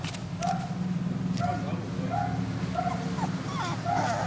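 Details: Young terrier cross in Malaysia, a puppy that died of a virus infection, repeats short, soft, high whimpers about once a second against a constant low droning hum.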